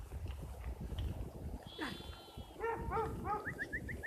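Sheep giving an odd, wavering bleat, then a quick run of short nasal calls over low rumbling noise.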